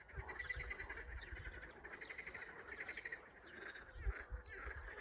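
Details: Spring frog chorus of many overlapping callers, dense rattling pulsed trills layered continuously throughout, with faint higher chirps above and a low rumbling wind or handling noise underneath.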